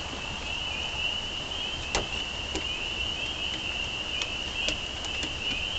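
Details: Spring peepers calling in a dense chorus, their high shrill peeps merging into one steady, unbroken trill, with a few faint clicks and taps scattered throughout.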